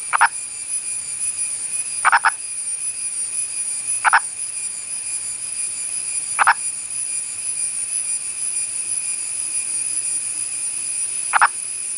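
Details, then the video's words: Endangered Indian purple frog from India's Western Ghats gives single short, knocking clucks, five over twelve seconds at irregular intervals of about two to five seconds, against a constant shrill insect drone. "Calls of an Indian Purple Frog"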